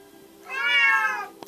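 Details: A male Bengal cat, one of two trained to sing in harmony on command, gives a drawn-out, tonal meow that rises and then slowly falls as it is prompted to sing in harmony.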